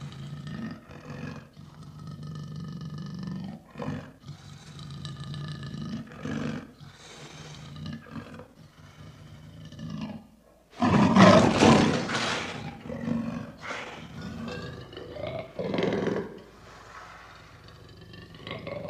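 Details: A lion roaring loudly: a series of deep, rough grunting roars, building into a harsh, intense roar mid-clip, then trailing off into shorter grunts.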